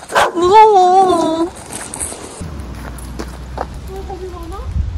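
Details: A campsite puppy in a frozen Jecheon mountain village, South Korea, at minus 16 degrees, vocalising while being handed snacks. A long wavering whine-like yelp of about a second and a half, then a faint, short rising whimper under low background rumble.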